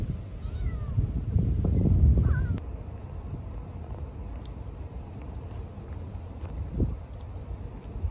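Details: Young stray kitten, a newcomer at a cat feeding spot, gives one short meow that bends up and then down near the two-second mark. A faint earlier mew comes before it, all over a steady low rumble of background noise.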